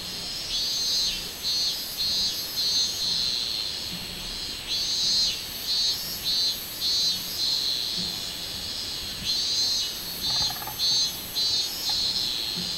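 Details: Minminzemi, the robust cicada, singing on 24 July 2016: a shrill rhythmic buzz rising and falling in regular pulses, nearly twenty surges across the stretch, with a brief softer lower chirp near the end.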